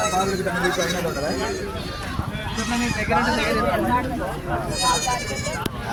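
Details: At the Chilpur Gutta village market where sheep and goats are sold, shaky bleats break through a steady din of voices and market bustle.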